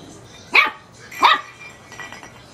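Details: A teacup Chihuahua puppy barks at a light bulb, giving two sharp, high-pitched yaps about three-quarters of a second apart.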